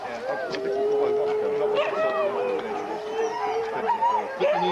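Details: Many huskies gathered for a sled dog race in the Forest of Dean, November 2001, recorded on VHS; sustained even howls with rising yelps and whines layered over them, people talking nearby.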